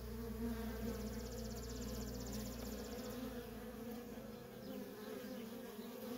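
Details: Nonstop traffic of worker honey bees at a feral colony makes an even, low hum. A deep rumble sits beneath it for the first half, along with a rapid high ticking pulse lasting about two seconds.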